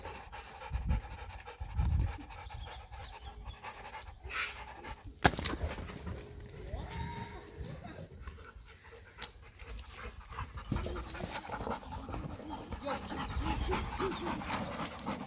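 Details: Panting German Shepherd and Labrador cross during play, steady breathy huffs with a sharp knock midway, a faint tonal whine or squeak, and scuffling movement noise.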